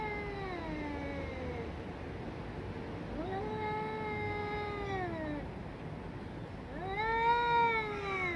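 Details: Cats in a fight; long, drawn-out, wavering yowls with rich harmonics, three howls each lasting about two seconds, sliding down in pitch then rising sharply, with quiet hissy background between.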